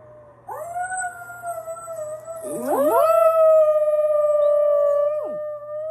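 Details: Dog howling with itself: a long steady tone is joined midway by a second rising swoop, the two voices layering into a sustained wavering howl that ends with a sharp downward slide.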